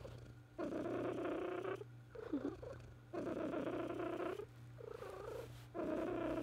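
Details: A pet cat purring indoors: bursts of low rumbling purr each lasting about a second and a half, broken by short gaps of softer breathing, steady hum beneath.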